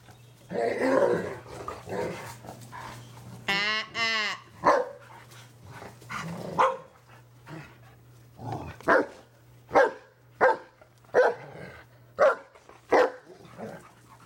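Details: German Shepherd reprimanding an over-excited, hyper Pit Bull; a water squirt bottle did not help. Harsh, noisy growling in the first three seconds, then a brief whining harmonic cry, then sharp barks about every 0.7 seconds over a steady low hum.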